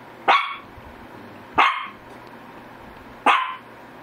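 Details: Shih Tzu barking: three sharp, single barks spaced about one and a half seconds apart, each a brief bright burst over a low steady indoor hum.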